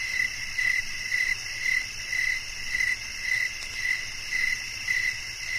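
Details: A cricket chirps in short repeated bursts, about two each second, against a continuous bright chorus of droning insects.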